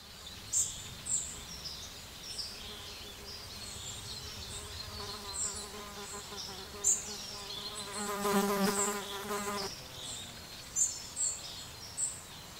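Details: Little bees feeding at breakfast time; a low humming buzz swells and fades from about four seconds on, loudest for a couple of seconds near the end, while brief high twittering chirps sound throughout.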